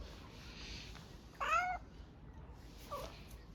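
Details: Hungry Istanbul street cat begging for food: one short, sharp wavering meow, then a faint softer one after a pause, against steady traffic-like hiss.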